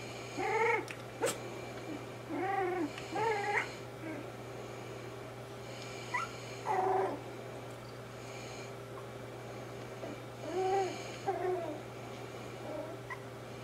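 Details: Cavalier King Charles Spaniel puppies about three weeks old practising their first growls, squeaky and cute rather than menacing: short rising-falling warbled squeals in bursts, several clusters over the clip, with a steady low hum underneath.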